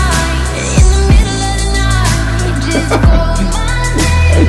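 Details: Loud pop music with heavy bass, sliding synth tones and sung vocals fills the recording, with no animal sound heard.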